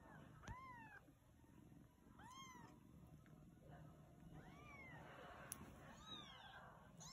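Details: Faint, thin, rising-then-falling mews from newborn Siamese kittens, spaced a second or two apart, while the mother cat eats and a Siberian kitten lies with the litter. A low steady hum runs beneath.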